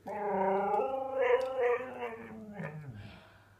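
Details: Husky named Ferrari indoors, annoyed and talking back after sneezing: a wavering, moaning vocal sliding down from mid pitch to a low grumble over about three seconds, with a small room echo.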